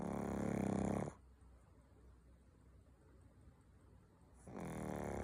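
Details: Pug snore: a loud fluttering rumble for about a second, a pause of near-silence lasting over three seconds, then the rattling snore resumes to the end.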